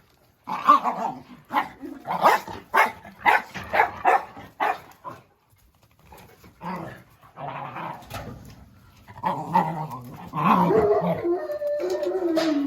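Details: A Jack Russell Terrier named Oscar lets out a quick volley of sharp, snappy barks for several seconds. After a pause come scattered rougher sounds, then a drawn-out harmonic whine with a growl.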